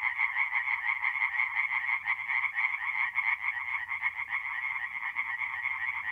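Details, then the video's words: Singing tree frogs, several together, at a north-east Italian forest pond at night in mid-April; unbroken rasping chorus of rapid pulses with small swells in loudness and a faint low background hum. "relaxing forest pond by night with singing tree frogs"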